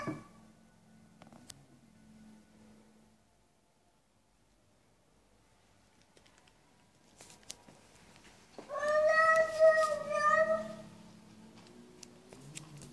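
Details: A single cat meow, about two seconds long, steady and harmonic, rises out of near silence. Soft low hums and a faint click or two come before and after it in a quiet room.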